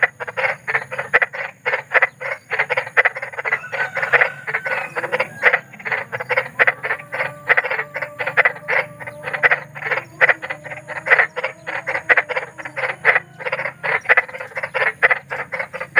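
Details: Large frog croaking outdoors, a rapid unbroken run of short raspy pulses over sixteen seconds, several callers overlapping, with faint thin whistling tones and a low background drone.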